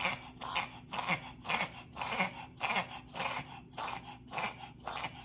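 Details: Dog in a reverse-sneezing bout, which can sound like choking but is not cause for alarm and can be triggered by pollen allergy: fast, harsh snorting inhalations, nearly two per second, repeated in an even train.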